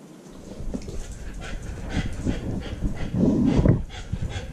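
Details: Female Siberian Husky puppy left home alone for about 30 minutes, recorded by a GoPro strapped to her body; a short tonal whine rises near the end over steady panting, close rustling and low rumbling handling noise.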